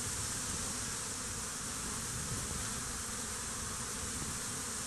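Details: Many honey bees swarm over a stump near beehives during a fight, with dead bees lying around; an unbroken, even buzzing drone of the crowd, thick and hissy, holding steady throughout with no other clear sounds.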